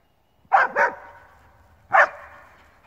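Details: Male Alpine Dachsbracke barking at wild boar during his first boar encounter, after about thirty minutes of barking: two quick loud barks, then a pause and one more, each with a ringing echo trailing off.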